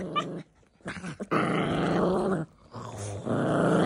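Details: Poodle and maltese puppies fighting: a continuous rough, rumbling growl, broken by two brief pauses, with snarling textures throughout inside a small room.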